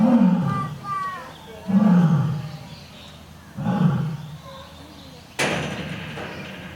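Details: Japan's oldest lion at Toyohashi Zoo (Nonhoi Park) giving the final grunts of a roar, three deep falling pulses about two seconds apart, followed by a sharp noise near the end.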